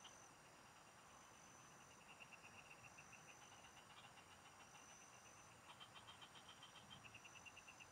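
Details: Frogs singing in the fields, heard while fishing: bursts of rapid pulsed notes, repeated in short trains, over a steady high insect-like whine and a dense background hum.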